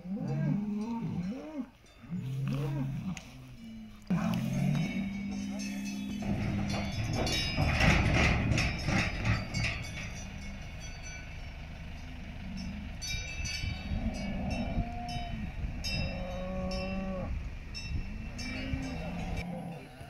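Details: Salers cattle at a cattle competition in Pleaux, Cantal, on 13 August 2022: a few low, arching moos in the first seconds, then a dense scene of clanking cowbells, people talking and background music with a few shorter lowing calls later.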